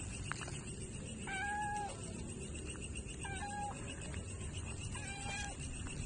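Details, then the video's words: Stray cat asking for food as it is fed, giving three short, evenly spaced meows, each flat then dropping slightly, against constant low outdoor noise. "Stray cat "meow" for food"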